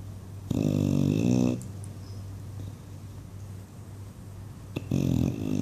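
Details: English Bulldog Buddy dreams and snores indoors: a loud, growly, flapping snore lasting about a second, a pause of soft breathing, then a second harsh snore, with a low hum underneath.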